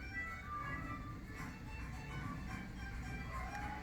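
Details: Background music plays over a low rumble of traffic, with no animal voice heard.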